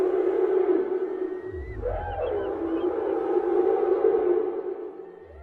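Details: A whale in the sea gives a sustained, wavering tonal call with a short rising-and-falling sweep near the start, over soft low rumbling underwater background.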